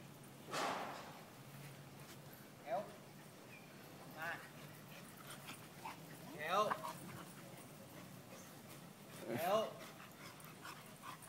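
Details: Shetland sheepdog at play with an American Bully: about five sharp, harmonic barks and yips spaced irregularly, several seconds apart, over low background noise, with a person speaking Thai nearby.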